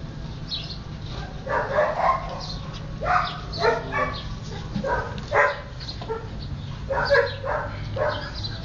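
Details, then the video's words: Playing and eating Siberian Husky puppies give bright, squealing yips in short bursts about once a second, some rising into whiny squeaks, with a low steady hum underneath. "Husky Cachorros jugando y comiendo"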